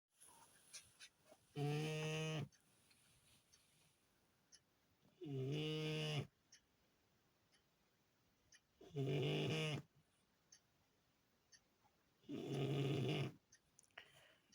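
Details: French Bulldog asleep indoors, credited with guarding the house all day, snoring loudly: four long rough harmonic snores, each about a second, spaced roughly every three and a half seconds, with quiet breathing and small noises between.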